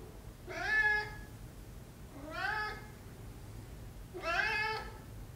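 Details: Maine Coon cat meowing indoors, three clear harmonic meows about two seconds apart, each rising then falling, the last one longest, over a faint low room hum.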